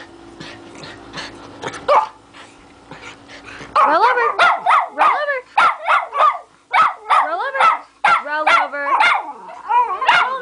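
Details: Schnauzers on a bed, watching a video of a dog barking, give high, yappy barks with a whiny, rising-and-falling edge, about twice a second, before doing tricks.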